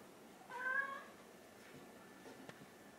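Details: Domestic cat, orange tabby or mackerel tabby, impatiently pleading for its meal indoors: one soft, brief meow with a gentle downward bend, followed by quiet room sounds and a small click.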